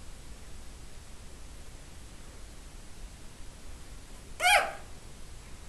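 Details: A female miniature Nigerian Dwarf goat kid with hiccups gives a single sharp, squeaky hiccup in a quiet room.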